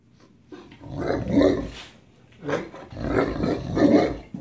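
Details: Great Dane begging for a bite of its owner's sandwich: low, rough, moaning grumbles in drawn-out bursts, one long groan near the start, then two more swelling, growly howls, with a quiet pause between.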